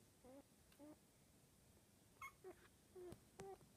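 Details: Puppies nineteen days old, a cross of a black cockapoo mother and blue merle Pomeranian father, give high, tonal whimpers and short squeals, several brief rising and falling cries with clicks between, indoors against low background hum.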